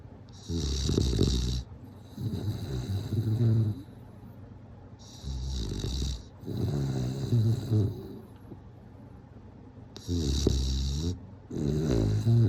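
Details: Snoring bulldog while sleeping: steady cycle of about five low, fluttering snore bursts, each near one to one and a half seconds, alternating with airy, hissing breaths and brief silences.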